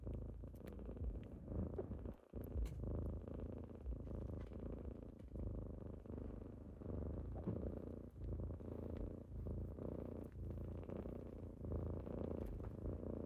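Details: Deep continuous purring from kittens waking their owner in the morning, a dense low rumble with brief dips and small clicks and rustles.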